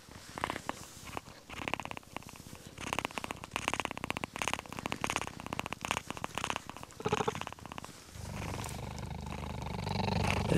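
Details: A very young male cheetah cub purrs after a neck scratch, a soft, steady, rapidly pulsing rumble with a faint breathy edge, while lying with its mother.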